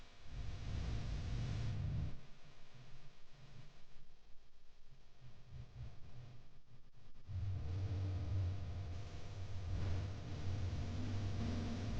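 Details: A low rumble like a passing vehicle, with faint music and a quieter lull in the middle, and no animal calls.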